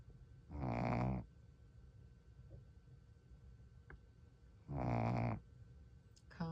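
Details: A tired Shih Tzu snores in its sleep, each breath a low, buzzy rattle lasting under a second, about four seconds apart, with quiet breathing between them.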